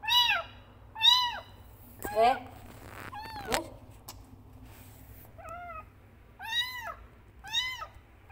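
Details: Frangky the kitten calls loudly for its mother with sharp arched meows, some clear and rising-falling, others broken by clicks and handling noise, several in quick succession over a steady low hum.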